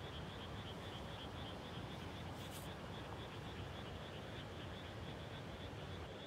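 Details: Frog chorus in rice fields at dusk right after planting, late May 2021: rapid high-pitched pulses repeat continuously like a fast trill, with a brief hiss partway through and steady low background rumble.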